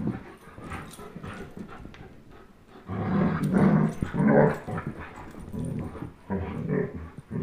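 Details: Two pet dogs, a 10.5-month-old German Shepherd named Chase and a 1-year-old Old English Sheepdog named Blizzard, playing tug of war; low rumbling growls swell in bursts after a quiet start, loudest around the middle, with scuffling.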